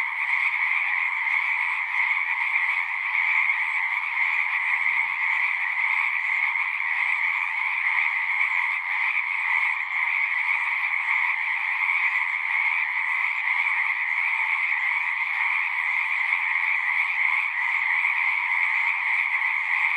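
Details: Many frogs singing together in an unbroken chorus, shimmering trills stacked in a higher and a lower band, even in loudness from start to finish, with one brief low thump near the middle.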